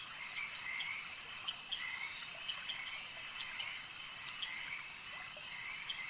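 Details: At a lake, many frogs croak simultaneously; a steady high trilling wash carries occasional sharp, quick croaks and brief upward-sliding notes, fairly even in loudness throughout.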